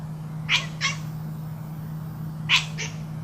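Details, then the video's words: Pet cat at play, two pairs of short, sharp chirping calls about two seconds apart, each a quick burst followed by a softer echo, over a constant low hum. "Funny cat noises"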